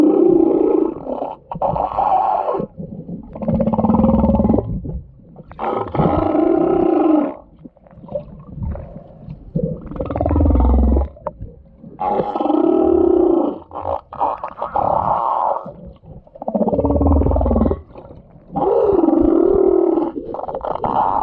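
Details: Humpback whale sounding like crying or snoring: a long series of coarse, roaring blasts of about two seconds each, coming in a steady rhythm with deep rumbles underneath.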